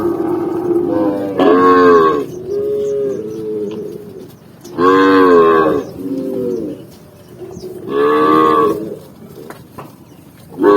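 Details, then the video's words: Tame cows in a herd being driven down a green countryside hill, running; loud drawn-out moos about a second long come in three bursts roughly three seconds apart, with softer lower moos between them. "cow sound cow Moo"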